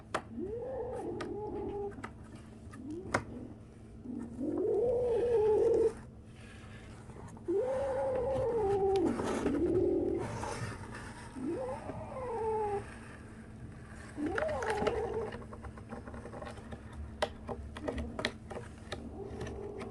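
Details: A 37-day-old kitten making strange noises calls again and again, five or six arched, wavering meows each about a second long, spaced a few seconds apart, with rustling and light knocks between.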